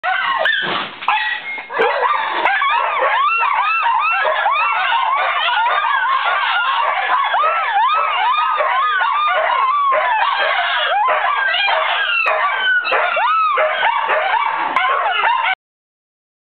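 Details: Dogs (a Shiba Inu, Schipperke, Siberian Husky and Lhasa/Shih mix) howl and yip together with a person in a dense, overlapping chorus of rising and falling wails.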